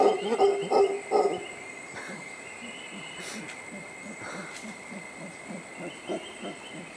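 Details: A mantled howler monkey resting in the shade a few feet from a suspension bridge at Tirimbina Biological Reserve near La Virgen, Costa Rica, gives three hoarse, guttural roaring bursts, then falls quiet over steady insect buzzing.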